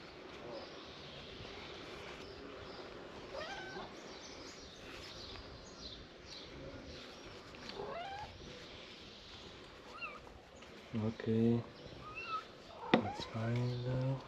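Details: Stray female kitten making a mess of her treatment, repeatedly meowing with rising and falling cries that grow louder and more frequent near the end, with a sharp knock and faint human voices.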